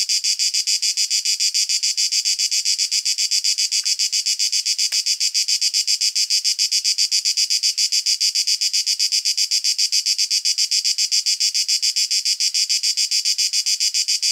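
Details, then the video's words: Male cicada singing in nature, sound made by the tymbals, recorded with a shotgun microphone: a loud, dense, high buzzing drone pulsing rapidly at about four beats per second, steady and unbroken throughout. "Cicada sound effect - Canto della Cicala - Suono Cicale - Verso - Cicadas Song"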